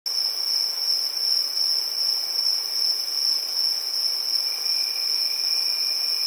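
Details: Crickets at night in a village: a steady, high, shrill trill held without pause, with a faint pulsing throb in loudness and a weaker lower tone beneath, no other clear sounds.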